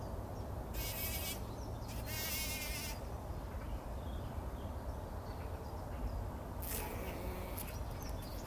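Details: Several bumblebees bathing in poppy pollen before sunrise, 2019. A low continuous hum is broken by a few loud rasping, rustling bursts, likely from the bees moving in the flowers. Faint birdsong sounds now and then.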